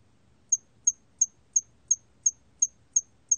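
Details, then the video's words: A hairy cricket chirps steadily: nine crisp, very high ticks at an even pace of about three per second, each brief and clean over a quiet low background murmur. "털귀뚜라미, 여러번 듣기, 곤충소리"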